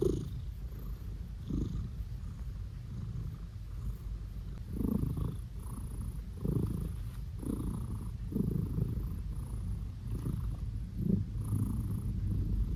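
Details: Male blue British Shorthair cat being petted, giving a continuous deep purr broken by brief grunting, snorting pulses roughly every second or so.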